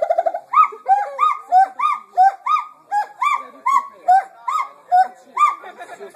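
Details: Gibbons at a gibbon center sing loud, musical whoops in a steady series, each note swooping up then falling away, about three notes per second, with other voices faintly overlapping.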